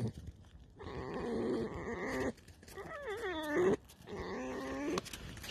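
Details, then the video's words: Evening creaking from a tame fox that seems to have scented something behind a fence: three drawn-out, quavering, nasal squeaks, the middle one bending sharply up and down, separated by brief pauses, with faint background noise. "Алиса - Лиса. Вечерний скрип"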